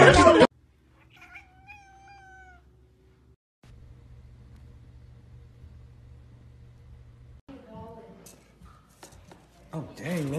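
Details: A single clear domestic cat meow, long and gently falling, in a quiet room, then a low electrical hum, a second shorter meow and brief human speech and clatter at the end.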